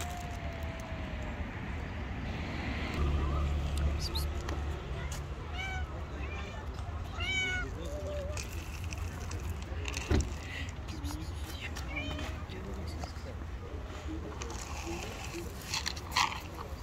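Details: Angry white street cat and rival tabby cat clashing, short wavering harmonic meows and yowls bunched in the middle, with human voices talking throughout and a low rumble beneath.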